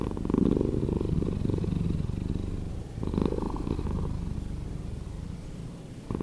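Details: Cat purring slowed down into a throbbing, buzzy low rumble, strongest at the start, with one renewed surge near the middle before tapering softly.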